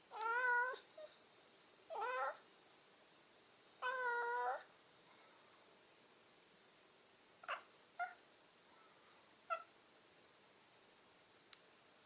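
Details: Domestic cat "talking" indoors: three clear, wavering meows about two seconds apart, each under a second long, followed by a few short, faint chirps and clicks in an otherwise quiet room.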